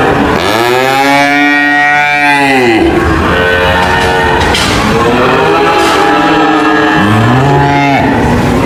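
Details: Cow giving a loud, drawn-out low moo lasting nearly three seconds, then softer bellows and a rising moo near the end, over continuous noisy background sound.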